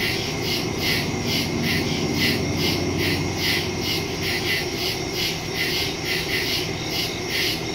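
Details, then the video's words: Nighttime woodland crickets, September 2, 2023, captured by phone with a Shure MV88+ stereo mic; bright pulsed chirping beats quickly and evenly, layered callers overlapping, with a constant low background hum. "Crickets in the woods at night"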